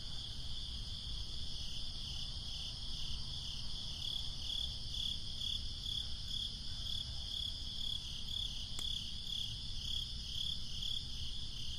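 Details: Breezy summer night with crickets: a soft, high chirping, quieter early and more distinct later, repeated in quick regular pulses. A single sharp click cuts through the low, constant wind noise.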